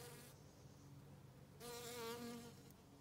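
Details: Bee buzzing in an autumn garden on a regenerative farm in County Kilkenny, Ireland: a steady low droning hum that swells into a louder, richer buzz for about a second near the middle, then eases back.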